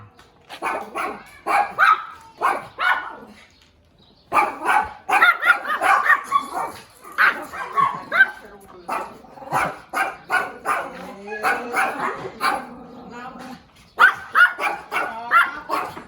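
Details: Little puppy barking eagerly: rapid strings of thin, high yaps broken by short pauses, a longer quieter stretch near the start, then renewed bursts to the end.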